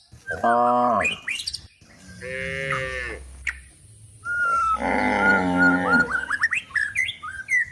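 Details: Cows looking for food in the forest while being herded toward the livestock pen, giving drawn-out harmonic moos, one short then a longer wavering one, with bird chirps in the background.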